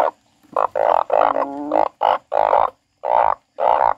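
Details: Crying frog giving strong, rough, nasal bursts, each about a third to half a second long, with one wavering tonal moan in the middle and clear pauses between calls.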